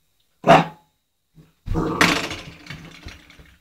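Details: Old English Sheepdog puppy, eight weeks old, playing with a doorstop indoors: one short sharp yap, then a rougher, noisier burst of growly vocalising with scraping and knocking from the toy.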